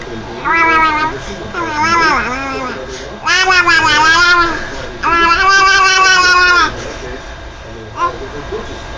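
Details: Pet cat named Juju performing a trick on cue: four long, drawn-out, wavering meows, rising and falling in pitch, the middle two longest, followed by a brief faint chirp.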